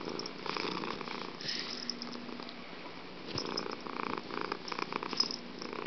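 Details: Fuji the house cat purring hard, a continuous grainy rumble rising and falling with each breath, a few louder pulses late in the clip.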